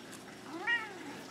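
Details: A nine-year-old black male house cat playing fetch indoors gives one brief, faint, slightly rising meow amid room noise. A man's voice praises him and urges him to fetch his toy.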